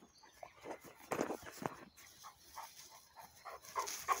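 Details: Central Asian Shepherd Dogs (alabai) of flock stock from Tajikistan, the father Polvon with his daughters; short tonal whining notes come one after another about every half second, with soft rustling and scuffling in between.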